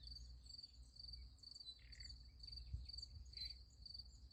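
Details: Night crickets by a sunflower field give a continuous high, finely pulsed trill with slight swells in loudness, a few softer lower chirps scattered between, and a faint low hum underneath.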